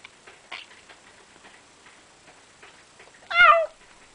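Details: A cat eating food it was just given: faint chewing clicks and smacking, then one loud, bright meow bending downward, about half a second long.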